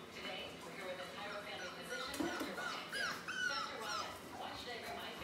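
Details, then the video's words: Four-week-old British Labrador Retriever puppies, a litter of seven black pups, five males and two females. Thin, high squeaky whimpers rise and fall around the middle of the recording over steady background noise and voices. "4-week-old British Labrador Puppies"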